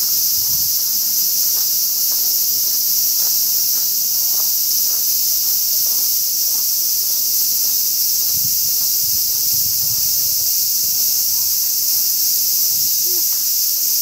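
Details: Cicadas singing in summer: a steady, unbroken, high-pitched buzzing drone fills the whole fourteen seconds without pause, with only faint low rustles and soft ticks underneath.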